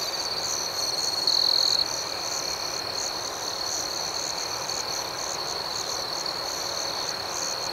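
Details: Crickets chirping after dark in an outdoor setting make a steady, high, buzzing trill. It swells briefly louder between about one and two seconds, then settles back to an even drone.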